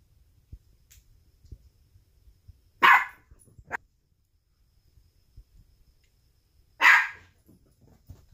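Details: Dog barking at a balloon indoors: a strong bark with a short clipped second one, then quiet shuffling until another loud single bark about four seconds later, set against low room rumble.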